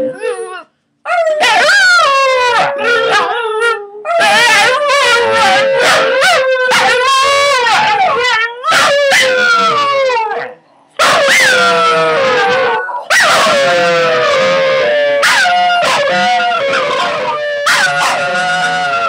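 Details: Chorus of three household Scottish Terriers howling for their first time, loud overlapping wavering howls with sharp yips and barks woven through, nearly continuous with short breaks.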